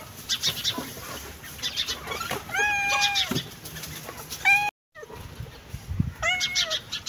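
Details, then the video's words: A cat meows twice with short, tonal, slightly falling cries several seconds apart, with a brief cut in between, against steady high-pitched clicking and tapping noises. "Innocent cat meowing"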